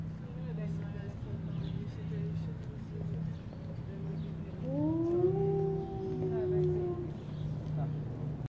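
An Arctic wolf gives a smooth howl that rises, then holds a steady pitch over a low hum.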